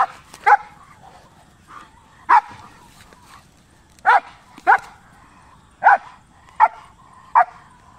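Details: A German Shepherd in a fight with a goat gives seven loud, abrupt barks spaced one to two seconds apart, with a few softer low yips between them and little other sound.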